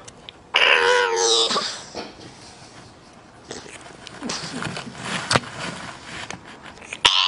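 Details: Bulldog making funny sounds: a drawn-out, wavering harmonic whine that falls in pitch over about a second, followed by breathy snorting and wheezing noises with a sharp click near the end.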